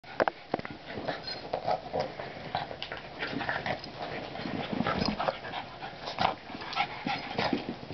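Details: French Bulldog and Boston Terrier, two pet dogs, playing bitey face together indoors: snorting, huffing and short growly bursts in rapid irregular succession, with a few sharper clicks and yelps.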